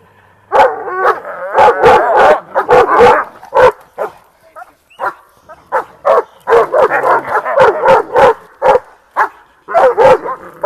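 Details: A Kangal or Siberian Husky barking in a head-to-head matchup. Loud, deep barks come in quick bursts and doublets, with a short lull near the middle, then resume in a steady series.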